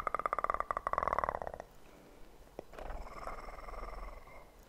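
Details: Close purring from a kitten, a buzzy pulsed burst lasting about a second and a half, followed by quiet room sound with a sharp click and soft rubbing noises.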